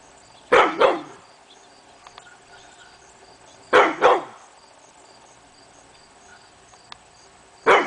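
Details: Hemi Bleu, a male pit bull, barking at nothing one morning on August 22, 2012: loud double barks, two quick woofs each time, spaced about three seconds apart, with a steady faint background hum and a few soft clicks.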